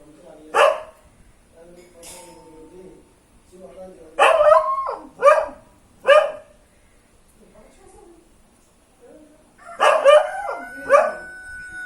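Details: A local dog barks in friendly greeting to an unknown relative: several short, harsh barks come singly and in pairs with quiet gaps between them, amid soft background noise and a faint tone.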